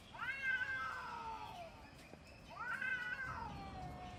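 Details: Cats in a fight: two long, drawn-out wailing yowls, each rising, holding, then sliding down, spaced about two seconds apart, with faint chirping behind.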